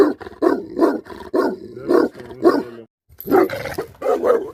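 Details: Bhote Kukur, or Tibetan Mastiff, a livestock guardian dog in Nepal, gives a rapid run of heavy, harsh barks, breaks off for a brief moment of silence, then barks again in a fresh series.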